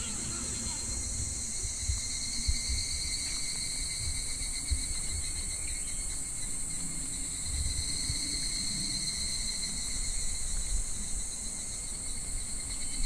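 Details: Cicadas calling in midsummer (July) beside a clear, very shallow, slow-flowing stream: a steady, unbroken high hissing drone with layered shrill tones, over a low murmur of running water.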